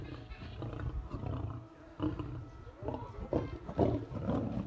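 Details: Two white lions in the middle enclosure of a lion park in Crimea quarrel over treats thrown by visitors: rough, broadband snarls and growls in irregular bursts, deep rumbling beneath, with people talking.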